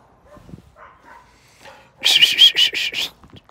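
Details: German Shepherd named Bear, urged on with a spoken "come on"; a quick run of about six sharp, high barks in the second half after low murmurs and quiet sounds.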